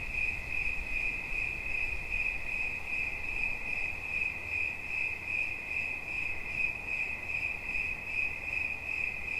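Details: Cricket chirping steadily: a high, continuous trill of rapid pulses at one pitch, with a faint harmonic above, holding even throughout, and a soft low background murmur underneath.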